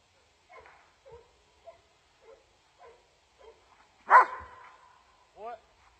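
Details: Dobermann in training in Germany: a run of soft, short vocal sounds, then one loud, sharp bark near the end, followed by a brief rising whine-like note.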